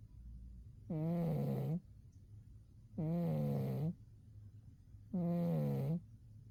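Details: Three deep, droning snores from Umi the cat during a winter sleep, evenly spaced about two seconds apart, each a low harmonic buzz with a slight drop in pitch at its end.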